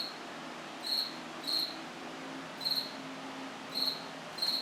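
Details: Cricket chirping in an apartment washroom at night, September 8, 2024: five crisp high chirps, each a quick burst of pulses, roughly one per second with uneven gaps, over low room hiss.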